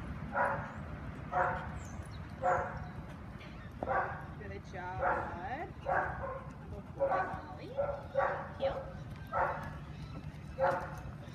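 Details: Ollie, a young Australian Shepherd in week one of a board-and-train obedience program, gives sharp barks about once a second, with a person talking and a low background hum.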